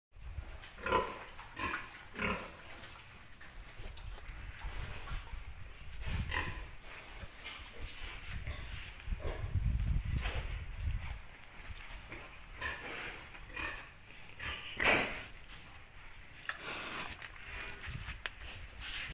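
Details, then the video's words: A sow waiting for a boar; low grunting pulses recur through the recording, with a few louder snorting bursts around the middle and near fifteen seconds, over a rough rural background. "She's Waiting For Pig Boar"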